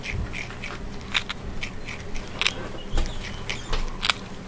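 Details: Miss Diggit, a female prairie dog, noms on a graham cracker: sharp dry crunches and clicky bites burst out at irregular intervals over a soft low background hum.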